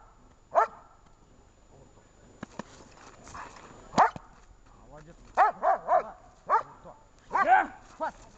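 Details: German shepherd in protection training, 10 February 2019: a single sharp bark, then a pause, then a quick run of three barks and a drawn-out double bark near the end. Human speech and rustling are heard between.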